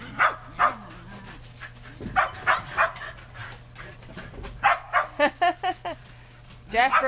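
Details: Excited Shetland Sheepdogs playing in snow on a deck and yard; bursts of sharp barks, then a quick run of high yips and a whine, with a person speaking between them.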